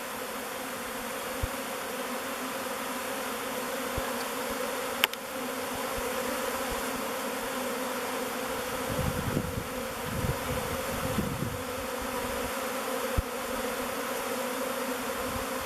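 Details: Thousands of swarming honey bees circle and descend on the face of Bee Beard, a log hive, then enter its mouth entrance. A dense, continuous buzzing hum holds throughout, with a single click and some low rumbling in the middle.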